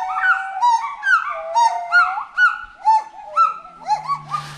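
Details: A forest monkey gives rapid, tonal, slightly nasal calls about twice a second, each rising and falling in a short arch with a bright, ringing edge; a brief hiss and low hum come in at the very end.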